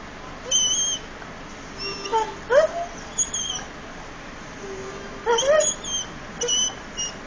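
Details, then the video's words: Frebie, a pet Irish Setter, singing: short whiny yelps and quick upward-sliding howl notes in scattered bursts, with a faint steady tone held beneath and a quiet indoor background. "Irish Setter Sings"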